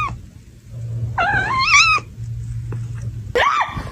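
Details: Domestic cat giving two short wavering meows, the first lasting under a second and slightly tremulous, the second brief and rising then falling, over a steady low hum.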